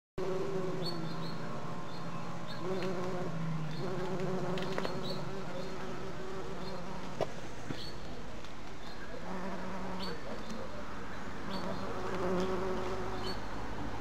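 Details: A red-tailed bumblebee (Bombus lapidarius) buzzes with a steady, low drone that swells and fades as it moves.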